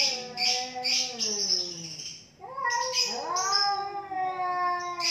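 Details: Fighting cats, two of them, wailing in a sustained duel: a descending moan fades out, then a fresh rising yowl surges back, overlaid with harsh hissing noise throughout.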